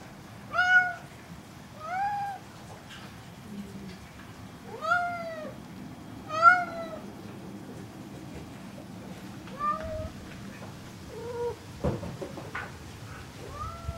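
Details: Ludwig the cat sings out a series of rich, falling meows, loud at first and then softer and shorter, with a few quiet gaps and a low hum in the room.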